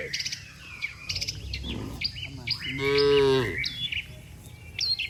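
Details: A herd of dozens of cattle lined up on a road, calling one another to go home: one clear, resonant moo of under a second, rich in harmonics, set against lively bird twittering.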